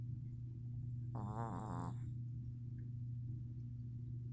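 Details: A Shih Tzu snoring while asleep after a long day, giving a single rattling, nasal snore lasting about a second over a steady low hum.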